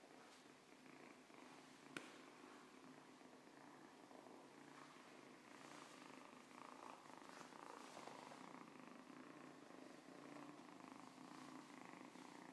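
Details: Siamese cat purring steadily indoors, a continuous low rumbling vibration that swells and eases with each breath, with one sharp click near the start.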